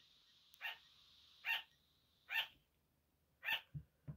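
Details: Sugar gliders barking at night during a 5 am wake-up: short, sharp, yappy barks centred high, repeated at uneven intervals of about a second, with a couple of softer, lower yips at the end.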